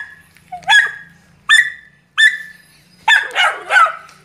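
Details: Male Belgian Malinois with a Duron-coloured coat, described as very vigorous, barking: three sharp, evenly spaced single barks, then a quick burst of two or three rougher barks near the end, over a faint low hum.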